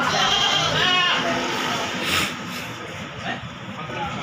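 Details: Gibas sheep at the Bangsri animal market in Jepara, Indonesia: a wavering, harmonic bleat rises out of a busy crowd, with human voices and market chatter running underneath throughout.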